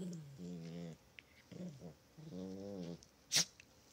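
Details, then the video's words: Chihuahua at play, giving quiet, low, voiced tonal sounds in half-second bursts: two early, a broken pair in the middle, one longer burst later, then a sharp click near the end. "Playing with Chihuahua"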